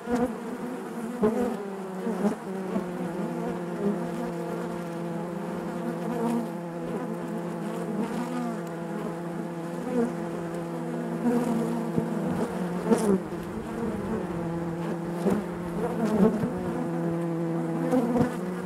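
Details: A dense colony drone fills the inside of a honey bee hive: a natural, deep, even buzz with stacked tones. Its loudness gently wavers, and brief nearer buzzes occasionally stand out from the mass.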